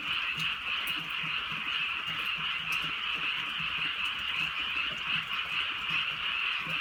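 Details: Many frogs croaking together on a drizzly rural night, a continuous high trilling din that never pauses, low throaty croaks repeating faintly beneath, light raindrop taps scattered through.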